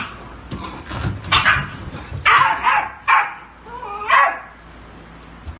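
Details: A puppy being introduced lets out a few short, high yelps and barks spaced about a second apart, plus a brief whine, over a quiet indoor background.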